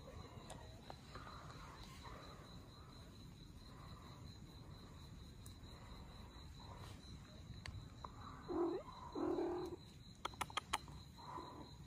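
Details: Abandoned Russian Blue mother cat and kittens at the moment of rescue: a long quiet stretch, then two low, drawn-out meows close together near the end, followed by a few sharp clicking taps.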